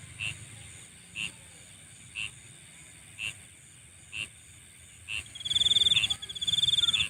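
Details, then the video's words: Insects calling at night: faint clicking pulses repeat about once a second over a steady high hiss, then a loud shrill buzzing trill starts near the end and runs continuously. "Nighttime Insect Sounds"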